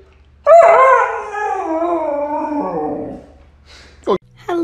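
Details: Dog from a talking-dogs compilation gives one long, wavering howl that slowly slides downward over about three seconds, followed by a brief sharp yelp and the start of another cry in a quiet room.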